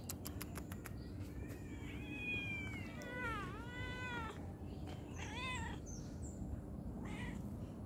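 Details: Domestic cat meowing repeatedly: several drawn-out, arching meows that rise and fall, with a short pause between bursts. A few sharp taps come at the start, and a woman speaks affectionately to the cat.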